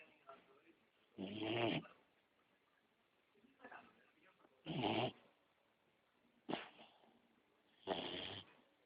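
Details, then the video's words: Beagle puppy asleep, giving four rough, wheezy snores about every one and a half to three seconds, each a short nasal rasp, with softer breaths in between in a quiet room. "beagle puppy ziggy snoring"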